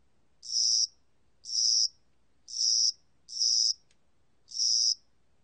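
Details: High, rasping chirps of a Korean spring-summer cricket, 2020, National Institute of Biological Resources: five short bursts with slightly uneven spacing, two coming close together, and a tiny tick in one gap.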